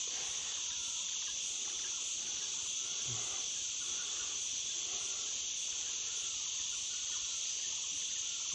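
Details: Wild insects heard along an overgrown ridge-line trail behind a house, near a village: a steady, high, shimmering drone held without pause in two bright bands, with faint footsteps and rustling underneath.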